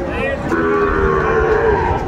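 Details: Sahiwal bull at a busy Aftabganj livestock market, Dinajpur, Bangladesh, on a Tuesday in April 2024. A level, droning moo holds for over a second amid crowd chatter and market bustle.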